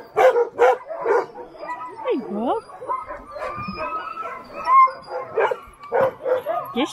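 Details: Alaskan Husky sled dogs being readied in teams at a sledding kennel in Willow, Alaska; sharp barks and short yips mixed with a few rising and falling whines, with people talking close by.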